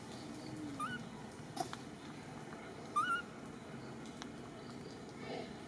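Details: Baby monkey Million, the smallest, calling for its mother Malika, who seems to ignore it: two short, thin rising whistled cries about two seconds apart over a steady low hum and faint background rustle.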